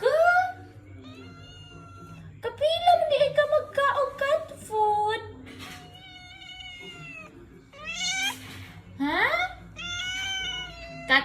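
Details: Khao Manee cat meowing repeatedly indoors while asking for cat food; several drawn-out, bending meows in a run, mixed with a person talking and background music.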